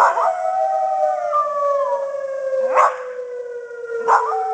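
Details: Simon, a Pembroke Welsh Corgi, howls during the monthly Civil Defence siren test: a long, wavering, drawn-out howl rides over the steady, slowly falling wail of the siren, broken by a few short sharp bursts.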